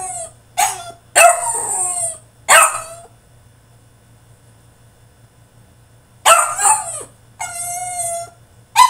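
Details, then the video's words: Tantrum from a caged French Bulldog: a quick string of rough yelping barks and wails, a long silence, then more harsh cries and a steady high whine before a final yelp. "FRENCH BULLDOG THROWS TANTRUM IN HIS CAGE!!"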